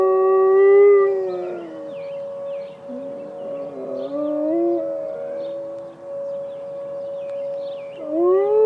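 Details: Penny, a Malamute Great Dane, howls along with emergency sirens during a siren test: long, drawn-out wavering tones with rich harmonics that swell loudly at the start, sag and dip in the middle, then rise again at the end, over a steady sustained siren tone.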